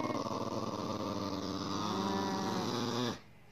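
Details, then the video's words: Pet dog named Jagger, indoors in a small room, "talking" back with grumbling noises while being teased: a continuous rumbling, rapidly pulsed growl-like voice with rich harmonics lasting about three seconds, then cutting off abruptly. "The Talking Dog"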